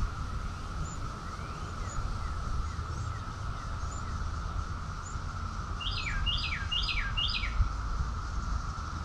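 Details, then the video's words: June 2021 summer chorus of cicadas in Rockville, Maryland, USA: an unchanging drone fills the background, quieter here. Late on, a bird sings one run of four downslurred notes, with faint high chirps earlier. "Cicadas song || Cicada's chorus song"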